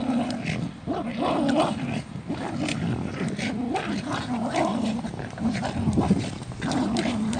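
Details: Jack Russell Terrier, from a 2017 compilation of funny moments, lets out a throaty, undulating growl-moan that rises and dips over several seconds. Faint human voices may be mixed in behind the dog.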